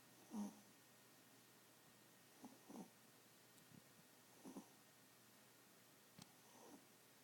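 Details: Sleeping pet Chihuahua, a tiny dog that snores like an old man, giving soft raspy snores roughly every two seconds, some in short double puffs, over a quiet room.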